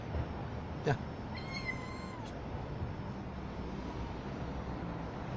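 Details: A young kitten being lured out from beneath a car gives one drawn-out, tonal meow with a faint downward bend, heard after a brief knock, set against steady low background rumble.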